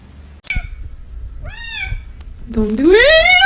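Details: A domestic cat gives a short arched meow, then a longer, louder meow that rises steadily in pitch and holds at the end; a sharp click comes before, with faint household noise underneath.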